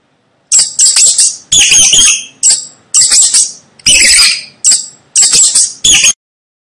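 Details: Shrill, high rat squeaks come in a steady string of clipped bursts, each sharp and scratchy, about eight bursts over six seconds, with brief silent gaps between them.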